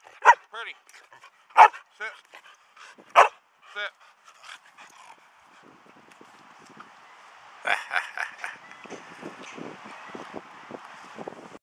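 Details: Samoyed begging for cookies while sitting pretty outdoors in an Oak Cliff park: three sharp barks about 1.5 seconds apart with a shorter yip, then fainter busy background sounds with softer vocal bursts.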